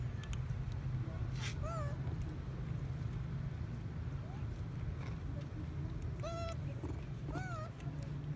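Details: Baby monkey Sweatpea, a male at Bayon Temple, cries after his mother slaps him for trying to breastfeed: short, arched, whistled squeals with bright overtones, three clear bursts plus fainter ones, over a steady low rumble and distant human voices.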